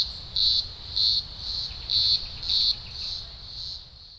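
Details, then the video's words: Green grocer cicadas in thousands at a Blue Mountains emergence, Australia, early October 2020; intense high-pitched buzzing rises and falls in strong pulses, then the nearest surges fade while the broader drone continues. "Blue Mountains Cicada Chorus"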